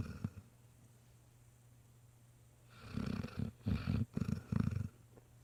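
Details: A sleeping Great Dane puppy, worn out after a long day visiting a nursing home, snores in a run of quick, low, rattling bursts.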